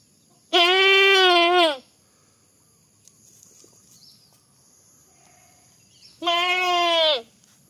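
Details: Funny goat sounds: two long, loud, wavering bleats of about one second each, separated by a quiet gap of roughly four seconds with faint background rustle and a steady high hum.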